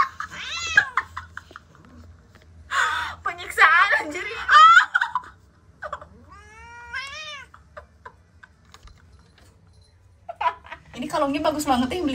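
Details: Owie, an angry odd-eyed domestic cat, gives short wavering meows, then a clear rising-and-falling yowl near the middle and a harsher cry at the end, with a woman talking and laughing between calls.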